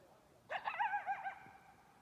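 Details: Coyote at Cascade Village giving a single rapid, wavering run of high yips and quavering whines lasting under a second, over a quiet background.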